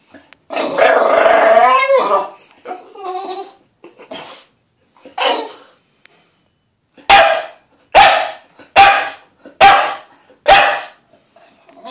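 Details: Pet dog Lilly complaining about getting her weekly bath: an extended, wavering howl-like bark, softer grumbles, then five crisp barks repeated evenly under a second apart.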